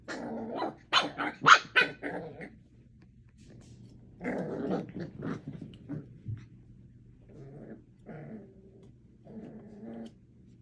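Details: Eight-week-old puppies at play together, a litter of four, producing clustered rough growls and snarling yaps in a loud opening burst, then softer, lower growling bouts separated by short silences.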